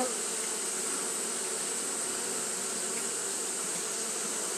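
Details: Droning wing hum of Japanese honey bees fanning constantly on a hot day, even and sustained, accompanied by an ever-present high hiss.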